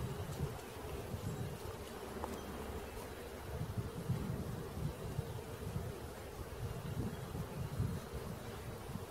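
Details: Close, loud droning of a honey bee swarm being collected, a thick low buzz with no pause that swells and fades slightly over time.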